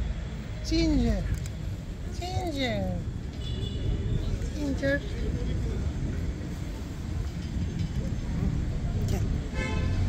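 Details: A big crowd of hungry cats of many colors, gathered in a yard for feeding. Several wavering, downward-bending meows overlap near the start, then a shorter call follows, with a steady low rumble and faint clicks underneath.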